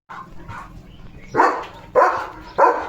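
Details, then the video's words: Leo, a German Shepherd guarding a village home, reacts to other dogs passing the house with three loud, harsh barks about half a second apart, after a quieter lead-in of low rumbling. "बघा Leo The German Shepherd च्या घरासमोरून दुसरे डॉग जाताना Leo कसा करतो"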